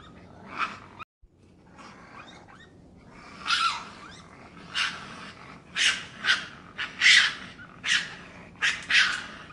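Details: Raccoon. A raccoon makes a string of rough, hissy squeals and chitters, each burst brief and noisy. The calls start softly, then come louder and closer together, roughly one to two each second.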